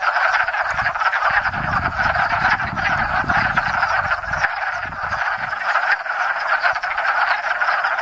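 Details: Hundreds of wood frogs gathered at a spring pond in Enosburgh to mate, producing a dense, loud, clucking chorus throughout, over a deep low rumble that rises and fades midway.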